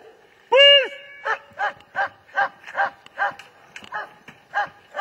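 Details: A German Shepherd gives one loud drawn-out whining yelp, then a regular run of short, clipped barks spaced about a third of a second apart.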